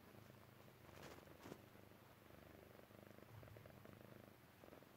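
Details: Dozing Persian Chinchilla cat giving a low, rhythmic purr that rises and falls with each breath, with a couple of short rustling sounds early on.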